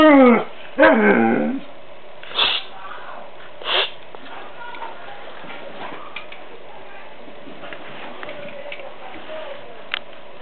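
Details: Male Siberian Husky aged eleven months, white-coated, talks back to his owner: a drawn-out wavering yowl opens, followed by a few short muffled woofs, with quiet room noise.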